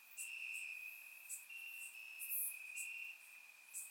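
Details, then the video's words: Grassland crickets chirping at night in Bulgaria during warm summer weather, surround microphone: a bright, steady high-pitched trill with slight pulsing, plus quick piercing chirps from other insects scattered across the clip. "Cricket Sounds - Crickets Chirping at Night"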